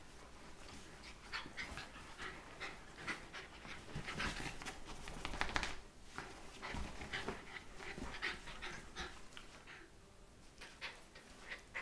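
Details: Scottish Terriers Mia, a 12-week-old puppy, and Katie, aged 2, in a morning wrestling match on a bed, heard through rapid rhythmic panting and snuffling mixed with rustling bedding and soft scuffles.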